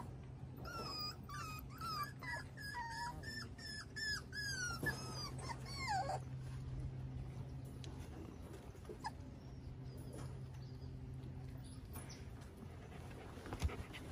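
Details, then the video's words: Miniature Schnauzers with their five-week-old pups on a deck, Sunday morning, May 9, 2021; rapid thin whimpers for about six seconds, then only a low hum and faint background noise. "Max and Hilda, Miniature Schnauzers, Spend Sunday Morning on the Deck with Their Pups (5 Weeks Old)"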